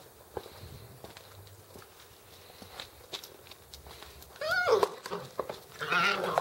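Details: Alaskan Malamute puppies, born in 2013, give two brief, high, wavering whines after quiet shuffling and footsteps.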